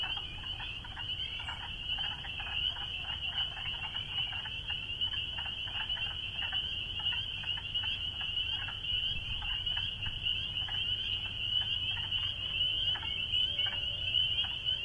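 A dense chorus of spring peepers, their high, piercing peeps merging into a steady ringing wall of sound.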